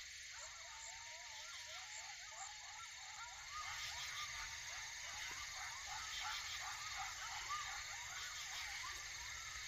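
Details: Coyotes, adults and pups, heard late at night on a dog walk, give a group chorus of wavering, quavering yips and howls over a steady insect drone, while deer watch.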